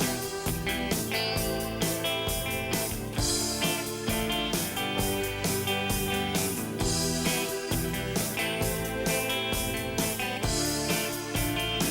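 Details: Strummed and plucked guitar music plays throughout, with no animal voices.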